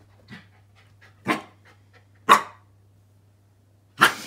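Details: Pembroke Welsh Corgi puppy with a watermelon, indoors; three short, breathy, broadband huffs about a second apart, separated by near-silence, with a steady low electrical hum underneath.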